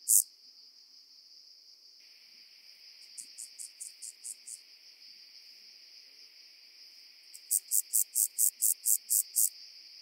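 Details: Omocestus petraeus on Cres, Croatia, 13 July 2022, giving a soft series of short hissing pulses, then after a pause a louder run of about nine evenly spaced rasping buzzes, over a constant high background whine.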